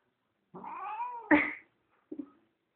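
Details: Indoor pet female cat wanting to go outside makes a long moaning wail that breaks into a sharp louder cry, followed by a short low chirp; a woman's Spanish voice surrounds the calls.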